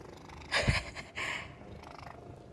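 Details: Pet cat asleep in the middle of the day, dreaming and twitching; two short noisy snore-like breaths, the first sharper with a low thump, the second softer, over a quiet hiss indoors.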